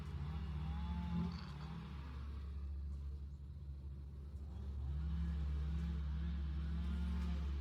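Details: Western honey bees (Apis mellifera) hum in a deep, steady drone that swells and wavers slightly at the entrance of an insulated long Langstroth hive in South East Texas.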